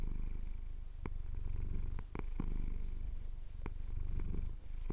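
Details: A male house cat purrs contentedly during a chin scratch, low steady rumble with brief dips between breaths and a few sharp clicks.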